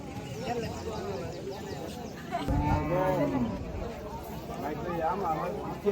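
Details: Cattle at a busy cattle and goat market on the Dhanpati Khola Primary School field: a low, drawn-out moo rises midway through, over a constant murmur of crowd chatter and men's voices.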